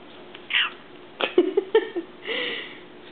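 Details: Pet cats playing indoors among new toys: a sharp high mew, then a cluster of short chirping, clipped calls, and a longer drawn-out wavering meow to finish, in a small quiet room.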